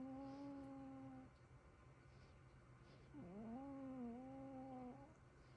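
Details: Duo of cats snoring in a small room: a level whistled tone fades out, then after a silence a new tone rises from a dip and wavers slightly for nearly two seconds.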